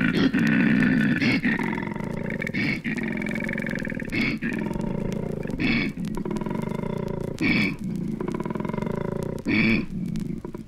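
A male koala gives deep, rasping snoring grunts in a continuous rumble, broken by sharper wheezy inhalations about every one and a half seconds.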